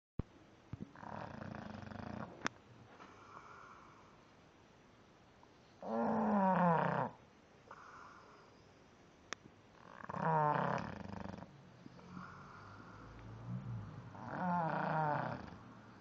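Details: Sleeping English bulldog snoring: loud, harsh, rattling snores roughly every four seconds, each lasting about a second. Softer breathy wheezes fill the gaps between them, with a couple of sharp clicks.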